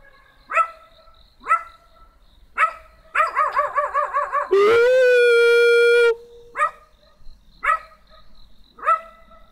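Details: Small black dog giving spaced sharp barks and a run of warbling yelps; a long, steady, humanlike tonal note cuts in midway before the barking resumes.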